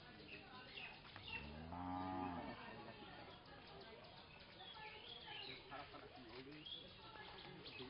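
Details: Village cattle resting under a tree give a single deep, drawn-out moo lasting about a second, with strong low harmonics, followed by faint bird chirps and background murmur.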